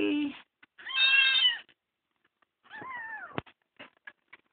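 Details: Rescued kitten, found crying on the road and adopted, gives high harmonic meows: a long steady wail, then a falling mew, with a sharp click and soft background sounds between calls.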